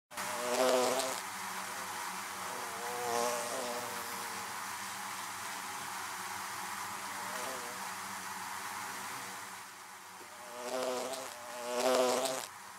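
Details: Bees buzzing around beehives: a steady low droning hum with several louder close fly-bys swelling and fading, near the start, around three seconds, and twice near the end.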